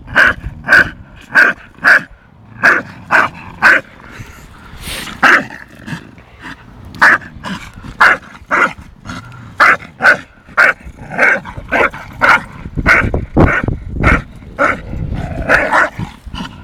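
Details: Two dogs, Tyson, an 8-month-old Staffordshire Bull Terrier, and Viper, a 2.5-year-old English Bulldog, bark during play-fighting: sharp bright barks in runs, roughly two a second with short pauses, over low rumbling scuffle noise.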